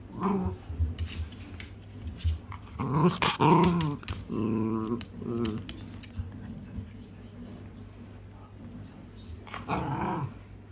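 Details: Miniature Schnauzer asking for its ball to be thrown, grumbling in drawn-out, growly, talking-like bursts around the third and tenth seconds, with quieter huffs and low rumbling between them in a small room.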